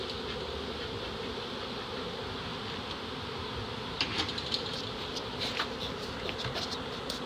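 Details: Dense, even roar of a big early-season reproductive honey bee swarm, close to 7 lbs, captured in Dale County, Alabama, with faint higher buzzes flickering over the constant hum.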